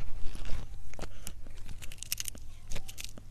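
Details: Crunchy chewing of a cat at mealtime, ASMR style: sharp bites and crackles come quickly and unevenly, several per second, over a low background rumble.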